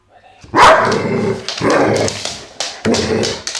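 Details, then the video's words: Vito, a pet dog known for a loud bark, gives three heavy, rough barks spaced about a second apart, each with a trailing noisy tail. "Vito Barking"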